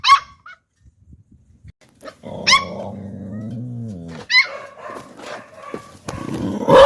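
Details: Pair of Pit Bull puppies barking at people: a few isolated high yaps, then a long rough rumbling stretch broken by another yap and more scuffling noise.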